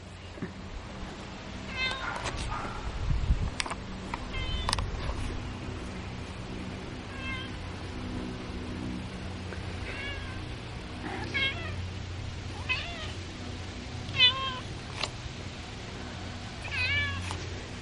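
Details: Domestic cats at feeding time, several high, wavering meows with harmonic stacks repeating through the clip, some rising then falling, over a low steady hum and clicks and clatter of eating.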